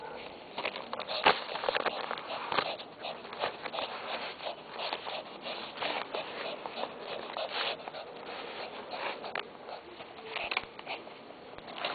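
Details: Steady rustling, crinkling and tearing of paper indoors, with occasional sniffs and no animal calls. The sounds are scattered crackles and soft thumps in a small room.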